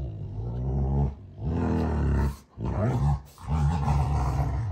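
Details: June and Kenai, two Rottweilers, mock-fighting at home on a ranch: nearly continuous deep, vibrating growls rising and falling, broken by two short pauses.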